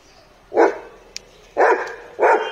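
A Bullmastiff gives three deep, hoarse barks, each short and loud, spaced about a second apart.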